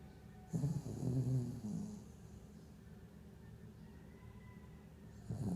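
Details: Havanese dog snoring during a nightmare: a rough, low, rattling snore lasting over a second with breathy hiss, then a quiet stretch, then another snore beginning at the end.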